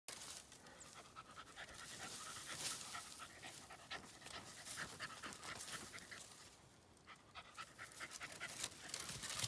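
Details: Cooper, a Border Terrier, digging under a large tree after a hidden critter; fast, breathy panting runs through, with scratchy digging noise and faint rustling.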